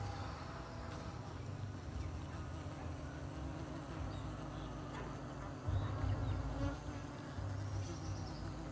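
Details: Honeybees at work on a hive they are building inside a pot on a tree; continuous deep buzzing hum that swells briefly louder toward the end, no other clear sounds.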